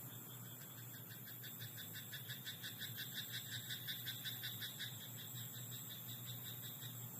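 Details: Nighttime croaking of a frog in a rice paddy, a rising then fading train of steady pulsed notes repeated rapidly for several seconds, accompanied by a persistent low hum and high whine.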